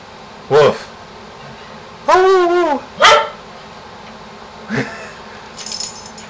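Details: Pet dog Shamus barking and howling at a neighborhood contractor with encouragement from his owner: short sharp barks around a brief wavering howl with layered harmonics, a laugh and voices nearby.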